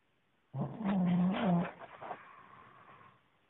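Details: Boxer puppy, 11 weeks old, asleep and snoring at its owner's feet: one low, rough, drawn-out rumble lasting about a second, then a fainter trailing breath into quiet.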